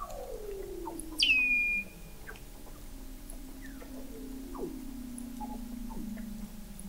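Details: A Weddell seal beneath Antarctic sea ice in McMurdo Sound, taken in November 2017 at the McMurdo Oceanographic Observatory 21 m down: one long, slowly falling moan from mid to low pitch, crossed by a brief loud high chirp and faint clicks.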